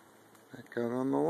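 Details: Duke, a male Treeing Walker Coonhound, on a log he is urged onto: after faint rustling comes a loud, sustained, rising drawn-out bay with a rich harmonic tone, held to the end.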